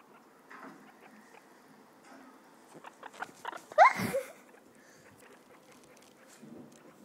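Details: Guinea pig at play on a living-room couch that serves as its playpen gives one loud, sharply rising whistled squeak in the middle, amid light pattering, rustles and scattered clicks.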